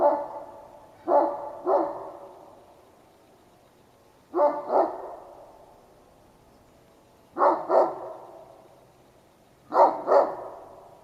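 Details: Large bored dog barking into the sky, not at the person watching, one morning at 9:30 in late November: paired barks repeated in bursts every two to three seconds, each pair sharp and echoing.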